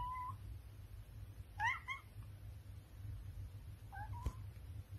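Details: Raven, a British Shorthair cat, gives a few quiet, short meows: a brief one at the start, a rising double meow near the middle and a last soft meow near the end, over a steady low hum.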